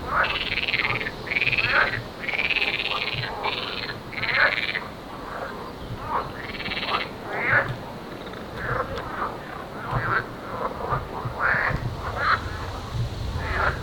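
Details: A dense chorus of marsh and edible frogs packing ponds on an island nature reserve in the Baltic region, near Denmark, during bird breeding season, with rapid rattling croaks overlapping from many callers.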